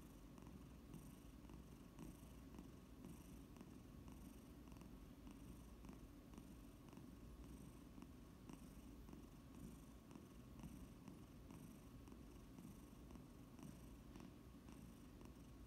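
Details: A foster Domestic Shorthair up for adoption purrs continuously indoors, a deep even rumble with soft regular breath pulses roughly every half second throughout.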